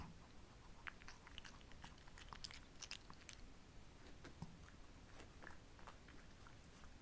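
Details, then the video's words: Female Shih Tzus Ssamong and Jinsang, kept as pets, eating simple homemade treats indoors on a hot, humid summer day; crisp crunching and biting clicks scattered densely through the clip, with a low room hum underneath. "[DOG Mukbang Eating Show]"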